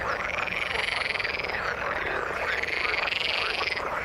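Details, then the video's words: Frogs call in the water in a dense trilling chorus, rapid pulses running together into a steady buzzing wall of sound. "Frog sound in the water"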